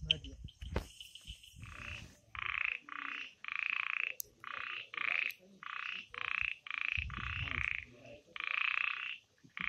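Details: Frogs calling at night in the Amboli hills forest of Sindhudurg: rasping, pulsed croaks about half a second long, repeated in quick succession, with a few sharp clicks and low rumbles early on.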